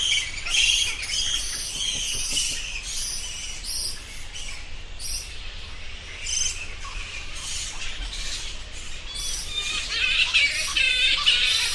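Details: Bats calling in a dense, irregular chatter of high, sharp squeaks and chirps, often in quick clusters, with brief pauses and a steady low background hum.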